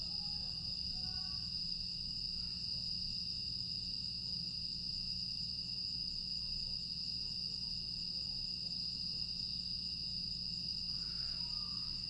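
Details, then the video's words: Grass insects on a quiet summer night in Aewol, Jeju, 25 August 2022: a steady, unbroken high-pitched ringing drone with a faint pulsing texture, over a low background hum and a few soft distant tones. "풀벌레 소리"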